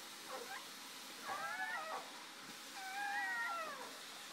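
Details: Shoobie the mother dog moments after delivering her first three puppies; two drawn-out, wavering high whines, each about three-quarters of a second, sliding up then falling, over a soft hiss.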